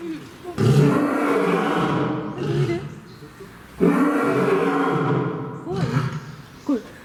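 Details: Male lion living at Fukuoka City Zoo, Japan, September 2021, roaring twice: two deep, drawn-out bellows about three seconds apart, each followed by short, quieter grunting sounds.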